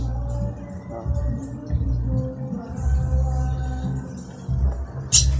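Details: Music with a heavy low beat and faint speech plays throughout, with no animal calls audible.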